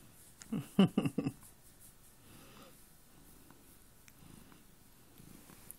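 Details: A house cat called Chloe lying on a bed: a few louder grunting bursts near the start, then a soft, low pulsing purr continuing quietly indoors with faint rustles.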